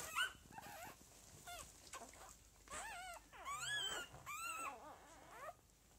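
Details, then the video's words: Lagotto Romagnolo puppies of a home-bred second litter, dated 06.01.2015: many thin, high, arching squeals and whimpers overlapping in quick succession, several pups calling at once. "Second litter "N" 06.01.2015 - Bella Mia Lagotto romagnolo home breeder"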